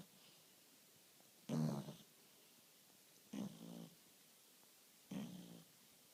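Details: French Bulldog snoring gently while sleeping: three short, rough, low rasping snores about every one and a half to two seconds, the first loudest, with quiet breathing between.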